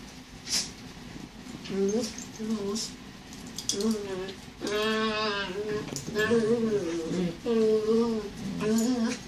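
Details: Hollywood, a patient border collie mix, playing indoors with Bowie, a terrier puppy. Several short wobbling whines and grumbles follow a few sharp clicks, then a strained drawn-out whine and more rising and falling whimpers.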